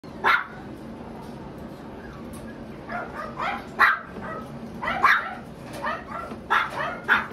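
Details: Mixed-breed dog barking in short, sharp yips, one early, then a cluster of several barks between the third and seventh seconds, loud and close against a quiet indoor background.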